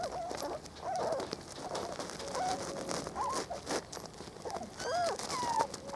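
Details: Spanish Water Dog puppies, four weeks old, explore a garden for the first time in 2013. Clear thin squeals, some bending up and down, come in scattered ones and twos over soft rustling and handling noise.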